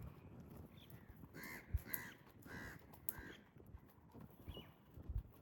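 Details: In mating season, goats give several short, nasal bleats that rise and fall over thuds of hooves, as males use strange sounds, gentle touches and competition to court females.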